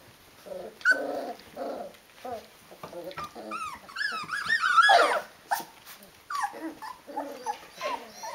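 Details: Rhodesian Ridgeback puppies of a litter aged 19 days, indoors, giving a run of squeaky whines, grunts and small growly yelps, some rising and falling in quick wavering arcs, mid-pitched and overlapping from several pups.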